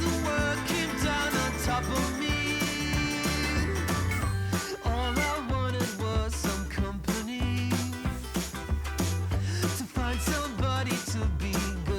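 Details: Upbeat instrumental pop music with steady bass, drums and bright melodic lines fills the recording, and no animal is heard.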